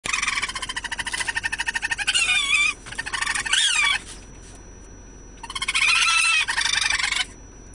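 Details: Young raccoons, rescued orphans being released back to the wild in Los Angeles, California, chitter in a fast pulsed trill, then break into high, wavering squeals.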